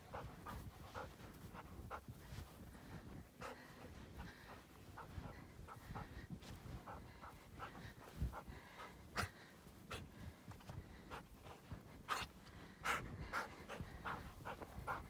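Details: During exercise in deep Utah snow, a black female Labrador Retriever pants in quiet, irregular breathy puffs, mixed with crunching steps and rustling through snow, with a few sharper clicks near the end.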